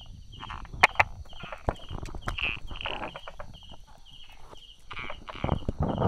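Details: Brauer's tree frog hiding among rock crevices and small grass, recorded 22 July 2016 at 10:44 in the morning, giving dry, rapid clicking 'da-da' notes in short repeated bursts, over a steady high-pitched background hum.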